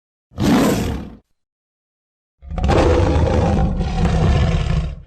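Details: Lion roar in two parts: a short, harsh blast under a second long, a pause, then a longer, heavy, rasping roar of about two and a half seconds.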